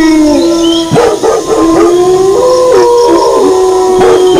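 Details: Chorus of wolf howls with dog barking: several long wavering howls rise and fall over each other, punctuated by quick, uneven barks and yips throughout.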